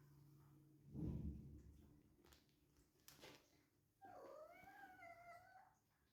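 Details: Mother cat in heat calling loudly, startling her kittens: a drawn-out wavering yowl with rich harmonics late in the clip, after an earlier thump and handling noise; a person speaks softly earlier.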